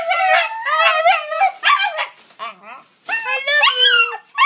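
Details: Pet dogs "talking" with excited wavering howls and yowls, excited about a car ride and a walk; rising and falling tonal cries in quick bursts, one lower groaning note mid-way, no speech over them.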